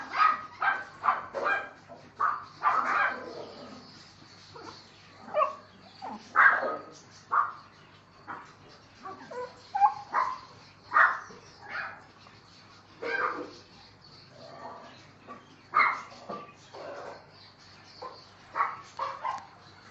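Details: Male Neapolitan Mastiff puppy aged seven weeks, producing a long, uneven series of high yelps and whining barks, some clustered, some spaced by short pauses, continuing throughout.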